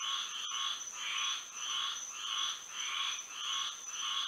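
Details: Frogs singing in a Florida night with moonlight, loud broad croaks swelling and fading in an even rhythm roughly every half second, a thin insect buzz sustained above them.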